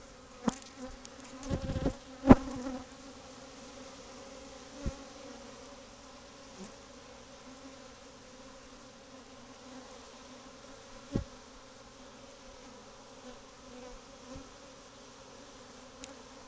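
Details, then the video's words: Honey bees from a hive set up in a cavity inside a covered house patio, many bees growing agitated; steady low droning hum with layered harmonic bands, broken by a few sharp knocks and clicks. "Bee Hive In Your House"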